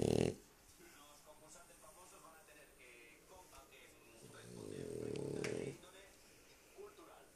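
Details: Lúa the dog asleep indoors: one drawn-out, low snore rising and fading over about a second and a half, the end of an earlier snore at the start, with faint talking in the background.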